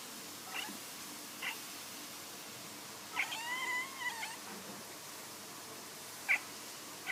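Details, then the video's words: Domestic cat making weird sounds indoors: a few soft, short chirps, then a longer wavering, harmonic meow-like call with a warbling middle, followed by two more brief chirps. "some weird cat sounds"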